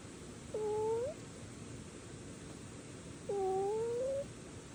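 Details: Two thin, pure-toned drawn-out meows from a stray kitten, the second longer and slowly rising at the end, over a soft steady background hiss.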